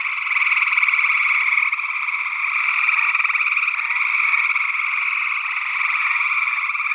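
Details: Northwest Wisconsin, early June 2022: a chorus of gray tree frogs captured with paired condenser microphones in ORTF. Overlapping pulsed trills merge into a continuous, rough, ringing drone. An unidentified second frog species joins in.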